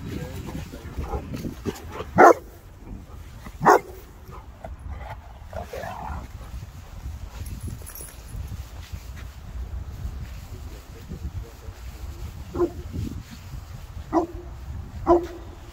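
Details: Three South African mastiffs, Boerboels, playing together; a few deep, loud barks spaced several seconds apart, with a whine between them, over low rustling and faint voices.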